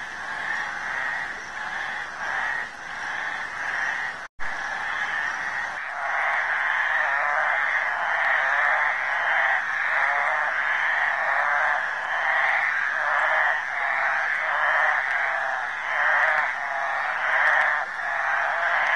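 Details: Chorus of flat-backed toads at a mating gathering in a suburban Lusaka creek, Zambia: many overlapping, honking, pulsed calls merge into a continuous rattling din, with a sharp cut early on.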